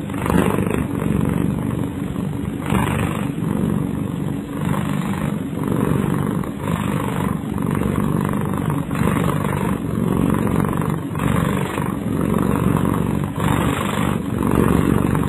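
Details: Kyara, a sleeping pet cat, snoring: low, rough rumbling breaths with hoarse, noisy swells roughly every two seconds over a constant droning undertone for about fifteen seconds.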